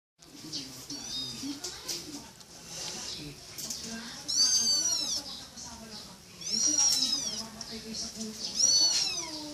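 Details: Kitten meowing indoors, high thin meows with arching harmonics repeated about every two seconds, over a steady background hiss and low voices.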